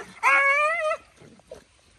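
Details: Dog fighting with friends lets out a single drawn-out, tonal whining yelp lasting under a second, steady then dipping at the end, followed by faint low grunts.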